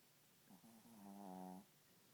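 A Pekingese snores with a drawn-out, droning tone that swells and rises slightly before stopping.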